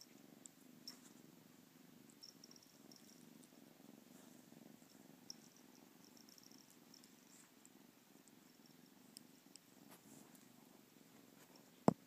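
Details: Kitten playing with yarn, purring in a low, steady, rumbling drone that runs unbroken through the whole stretch, with faint scattered clicks and one sharp tap right at the end.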